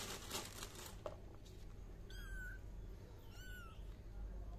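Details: Two thin, high-pitched kitten meows about a second apart, each a brief drawn-out cry, after some rustling handling noise at the start.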